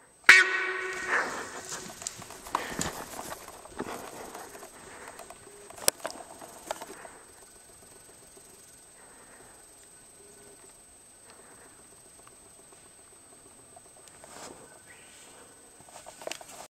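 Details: Sambar deer stag reacting to human scent: one sharp, loud honk at the start, then scattered thumps and footstep-like crunches fading over many seconds into quiet, with faint sounds returning near the end.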